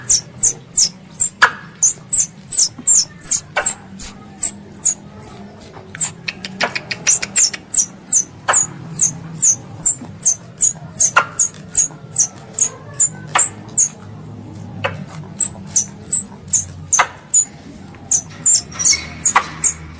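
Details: Pest squirrel calling its mother, a recording meant for ambush hunting: high, sharp chirps that dip in pitch, repeated about two to three times a second without pause, with scattered sharp clicks and a low hum beneath.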